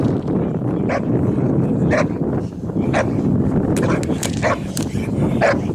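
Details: Boxer dog from a Boxer Club, training at a canine education centre in St Georges d'Orques, France, for breed character tests; about seven short, sharp barks spaced roughly half a second to a second apart over steady broadband background noise.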